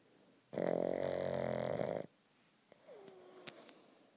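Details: A Boston Terrier sleeping squished up gives one long, rattling, fluttery snore, followed by a faint, falling nasal whistle.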